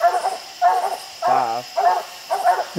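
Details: Treeing dogs bark up at raccoons high in a tree on a steep hillside, several coons in sight; short harmonic barks alternate with one longer, lower drawn-out bawl mid-clip.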